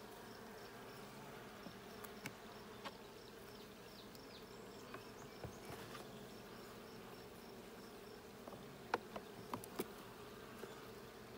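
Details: During a check of a blue hive on June 20, 2022, a constant low buzzing hum of many bees, with irregular light clicks and taps, clustered near the end.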